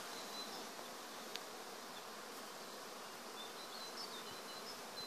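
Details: Acacia woodland bees giving a dense, even hum that fills the background without pause, with a few soft high bird notes drifting above it.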